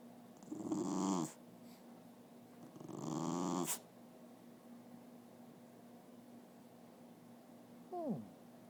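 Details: Dog making talking noises: two drawn-out, breathy grumbles about two seconds apart, then a brief falling whine near the end, over a steady background hum.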